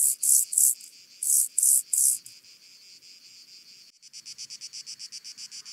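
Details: Penumbra grasshopper (Chorthippus vagans) singing at Mörnsheim, Germany, on 14 July 2023: two bursts of three loud, high, scratchy pulses, then a quieter, faster run of fine, even ticks.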